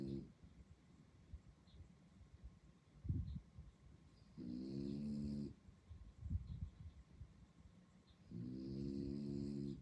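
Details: A French Bulldog puppy in Sentosa, Singapore snores at night in long, rasping, harmonic-rich breaths about every four seconds.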